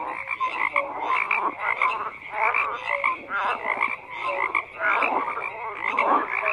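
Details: Frog chorus in full swing: rattling, overlapping croaks pulsing in waves about once a second, punctuated by short whistle-like notes, no other sounds breaking through the steady din.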